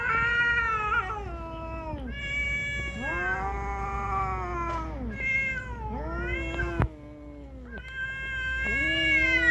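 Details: A cat fight on Aoshima cat island in Japan, with sustained wailing yowls that bend down in pitch, one long moan after another and a sharp click near the middle, over low background rumble.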